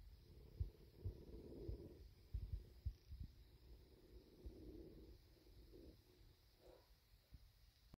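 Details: A contented bobcat called Big purrs after being fed deer meat and given a belly rub; a deep, rolling rumble that swells and fades in long waves, with soft thuds of handling and a quiet indoor setting.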